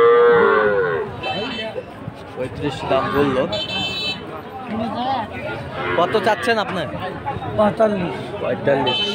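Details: Sahiwal calves at a cattle market in Ambari, Dinajpur, on Monday 20 February: a drawn-out, bleating moo opens, then further shorter calls break through constant crowd chatter and nearby men's voices.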